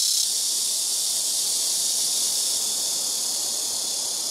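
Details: Very noisy black cicadas calling from rooftop-side trees at a home, trees in front, left and right taking turns; an intense, unbroken high buzzing whine, slightly fading toward the end.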